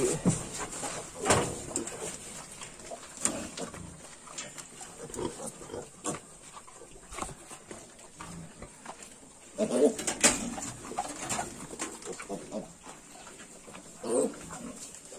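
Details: Grunting from 22-day-old Yorkshire piglets: sparse, short low grunts and snuffles spread across the recording, a louder cluster near ten seconds, over constant background hiss and faint clicks.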